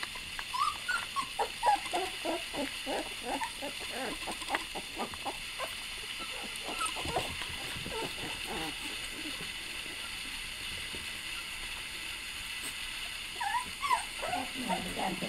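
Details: Several puppies crying and whimpering, with short high squeaky whines in rapid irregular bursts throughout, some rising and falling, over a steady background hum.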